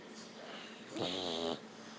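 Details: Dog snoring: one buzzy, rasping breath of about half a second with a low rattling tone and a hissy airy edge, in an otherwise quiet room.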